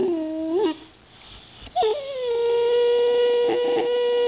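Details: One-year-old female white Boxer, playing at biting a can of compressed air, gives a rising whine, then a long, steady, high-pitched vocal note.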